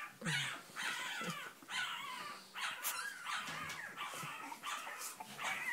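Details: Cavalier King Charles Spaniel whimpering in repeated high, drawn-out whines of about a second each, separated by short gaps, with quiet background noise.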